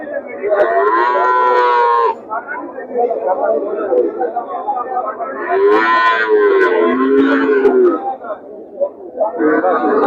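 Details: Calves at the Chuknagar cattle market, where mostly young cattle are sold: several long, harmonic, wavering moos overlap, sounding near 0–2, 5.5–8 and 9.5–10 seconds over a constant murmur of market noise.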